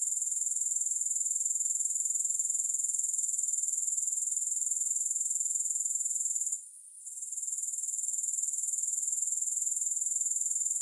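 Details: A steady, high, sizzling insect trill from grasshoppers, pulsing about four times per second, with a single short break about two-thirds of the way through. No music.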